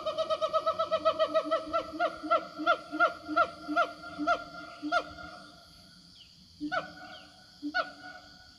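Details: Siamang roaming the forest, calling out to companions: a fast run of loud, ringing, downward-sliding barks that slow and spread out, then a brief pause and a few scattered whoops and low booms.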